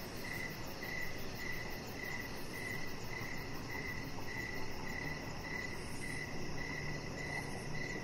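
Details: Outdoor evening chorus of crickets near a deck where a chihuahua puppy lies: clear, evenly spaced high chirps, around two per second, ring over a dense low hiss and rumble.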